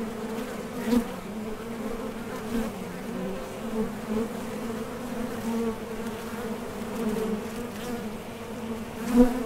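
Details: Foraging honey bees at the mouth of a Top Bar Hive: a constant low hum, with louder buzzes near the first and last seconds as single bees fly close past the entrance.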